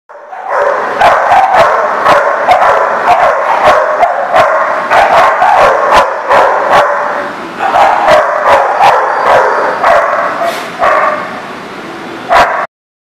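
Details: Dog barking recorded on 10/11/19: sharp, loud barks repeated about two to three times per second over a dense, continuous wash of overlapping barking, with a short lull near the eight-second mark and a final isolated bark.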